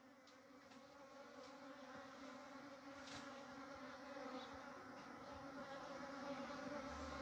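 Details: Wild honey bees at a natural nest, building comb and storing honey. A dense, steady hum of many bees with a low droning tone and layered overtones, slowly growing louder, with faint clicks throughout.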